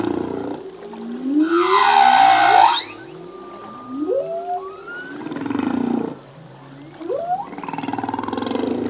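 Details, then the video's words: Humpback whale male singing at sea: a loud broad cry bending downward, followed by short upswept moans and a long level whistle, with lower groaning tones running underneath. "Whale song - full length humpback whale song"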